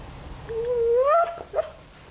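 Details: Siberian Husky named Cyrus, a pet, whimpering because he wants his sausage toy: one drawn-out, tonal whine that slides up steadily and breaks off, followed by a short higher squeak.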